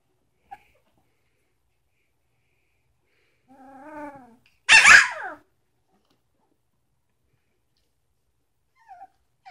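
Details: Samoyed puppy, three weeks old, Sitka x Izzi litter, indoors: a rising, wavering nasal whine is followed at once by a loud, harsh squealing yelp that drops in pitch, then quiet with faint squeaks.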